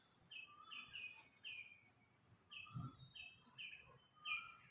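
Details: An Indian palm squirrel calls from a tree with sharp, high-pitched chirps in quick bursts, about twice a second, a cat below; it is calling because it has seen something.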